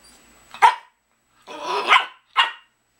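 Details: Miniature Pinscher asking to eat at dinnertime, indoors: one sharp bark, then a longer rough drawn-out yelp, then another short bark, with quiet room tone between.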